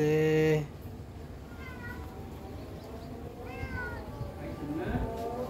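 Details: Turkish Angora cat outdoors: after a brief loud steady tone at the start, several arched, wavering meows rise and fall at roughly two-second intervals over background noise, with a person's voice nearby.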